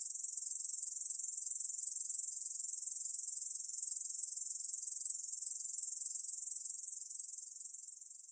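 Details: Korean bush cricket's sustained high sizzling buzz of fast pulses, from the National Institute of Biological Resources in 2020, growing slightly softer near the end.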